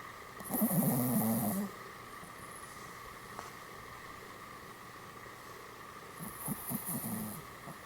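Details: Two rattling, throaty snores from a sleeping Pomeranian in a Goromaru pose, each about a second long and several seconds apart, with steady indoor hum between them.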